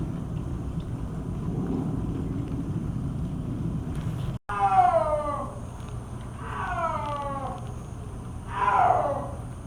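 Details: Captive snow leopard, a 21-year-old female at Hamamatsu Zoo, Japan, calling strongly while walking outdoors on a rainy July 2024 afternoon. After a noisy opening, three loud harmonic yowls sound about two seconds apart, each sliding downward in pitch.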